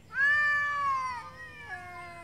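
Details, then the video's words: Street cats in Beaver Falls in a morning territorial standoff as two hungry cats arrive to eat at once: a loud, drawn-out, wavering yowl that holds steady, then drops in pitch with a sharp step near the end. "Yowling street cats of Beaver Falls having a territory convo.."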